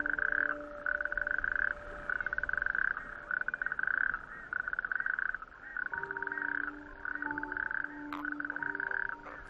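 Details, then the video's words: A chorus of natterjack toads, the smallest toad, on small islets of a bare rocky outer archipelago on a warm May evening: males sing at night with blown-up vocal sacs to attract females, a loud rapid rattling trill repeated in long bursts. "It is the croak of the natterjack toad, our smallest toad."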